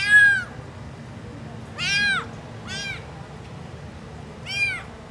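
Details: Abandoned tuxedo kitten found in the street on 24 May 2024, tasting chicken for the first time; four loud, high, rising-then-falling mews spaced roughly one to two seconds apart, with quiet low hum behind.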